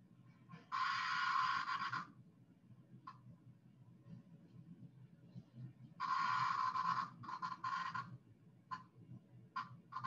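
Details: Periodical cicada alarm squawks, a defensive call made when grabbed: harsh, buzzy bursts lasting about a second, then shorter clipped rasps, over a low indoor hum.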